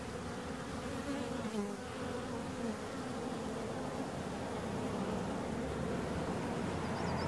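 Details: Bees buzzing in a steady low hum with layered droning tones, continuous throughout, with a few faint high chirps near the end.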